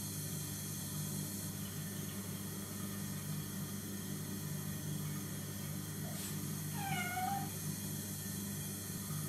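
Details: Chloe, a semi-feral kitten about three months old, adopted 29 days earlier, playing in a bathroom hand basin on 1 November 2014; one short, falling meow near the end over a steady low hum.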